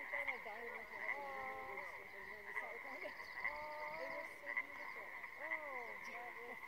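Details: Frogs in a pond near a clifftop on Mt. Wheeler, April 25, 2019, giving overlapping rising and falling croaks about once a second beneath a constant high-pitched ringing tone.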